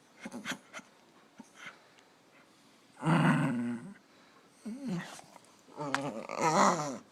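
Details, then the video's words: Dog producing weird noises: a few soft early yips, then a loud grumbling, growly moan near the middle, followed by two wavering, rising-and-falling howl-like phrases toward the end. "Weird Dog Noises"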